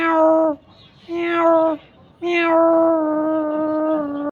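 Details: Cat mother and kitten meowing: two short meows under a second each, then a longer steady meow lasting about two seconds, all clear and tonal with rich harmonics.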